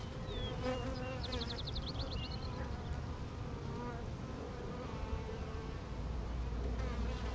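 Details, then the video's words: A swarm of bees gathered on a pine tree makes a thick, continuous low droning buzz; early on, a small bird adds a quick run of high chirps and a brief falling whistle. "Bee swarm"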